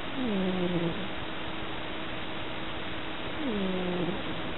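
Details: Tabby cat fast asleep, snoring and dreaming of chasing mice; two soft, low, descending tonal murmurs with faint overtones, about three seconds apart, over a steady background hiss.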